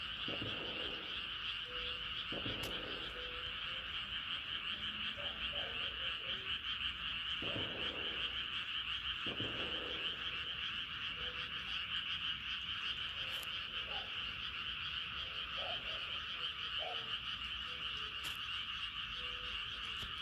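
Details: Frogs calling in the middle of a moonlit night, short croaks repeating at irregular intervals against a dense, steady insect-like drone and constant night-time background hiss.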